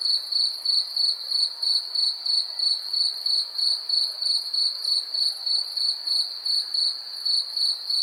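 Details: A cricket chirps steadily at night, giving high, pure, pulsing trills about three times each second.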